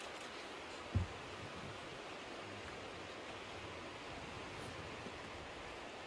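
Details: Steady broadband hiss like wind or distant surf, broken only by a single soft low thump near the start; no animal calls.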